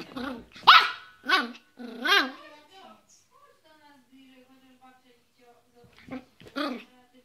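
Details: Yorkshire Terrier letting out three quick high barks, then a drawn-out whining, moaning tone. Two more yaps follow after a pause.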